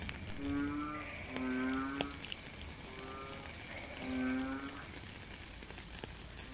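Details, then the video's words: Frogs heard in the rain, recorded live in nature: deep, humming croaks in pairs and singles, roughly twenty per minute at an uneven pace, with raindrop taps and steady rain hiss throughout. "Frog and Rain - 10 minutes Faint Beautiful Song"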